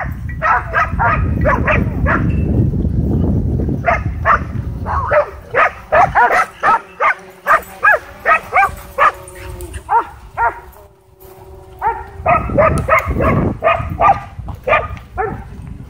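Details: Dogs at a dog park, whipped into a frenzy while chasing a DJI Mavic 2 drone, bark in sharp repeated bursts, with a pause in the middle before a fresh flurry, over a low rumbling background.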